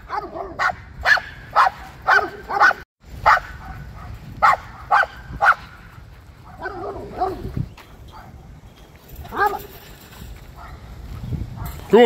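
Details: Dog barking while chasing squirrels: a run of sharp, loud barks roughly every half second for about six seconds, then looser, softer barks and yelps, with a person calling to it and some background rustle.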